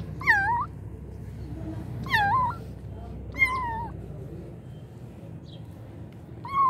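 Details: Kittens meowing, three young cats in all: four drawn-out, wavering meows spaced about two seconds apart, each bending down then up, over a low steady background hum.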